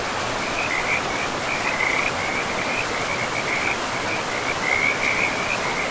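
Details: Steady rushing river in an untouched forest carries a frog chorus: short, rapid, rattling trills at a fairly high pitch, repeated in quick bursts with brief gaps, continuous across the whole stretch.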